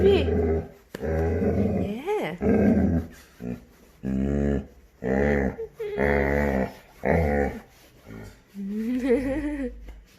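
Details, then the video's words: Male Labrador Retriever puppy waking up indoors in the morning, giving his odd cow-like sounds: repeated low harmonic moans of about a second each, some bending upward, ending in a higher wavering whine, with a voice partly overlapping. "my dog sounds like a cow! Funny puppy sounds / Labrador puppies weird noise"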